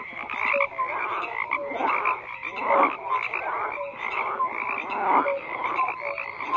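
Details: Croaking frogs fill the air, bursts of raspy chorus swelling roughly every couple of seconds, with brief tonal whistles and chirps scattered between.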